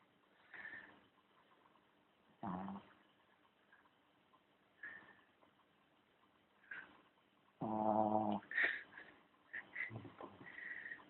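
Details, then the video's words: A dog named Charlie asleep and snoring, with breathy rasping pulls every couple of seconds and one long, loud, rattling snore near the end, followed by quicker snuffling breaths. "Charlie Snoring"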